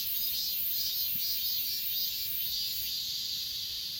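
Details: Short burst of grass insect chorus on Achasan mountain, recorded on an S20 Ultra: high shimmering trill with a few soft pulsing chirps.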